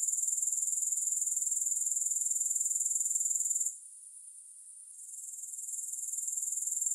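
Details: Grasshoppers heard with no music, their high, rhythmic pulsing trill repeating about four times a second, then dipping sharply to a faint hiss for a second before gradually returning to full strength.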